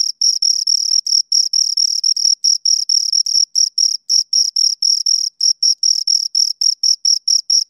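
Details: Shrill chirping from two crickets, rapid pulse bursts alternating long and short, occasionally merging into brief trills, against a completely quiet background.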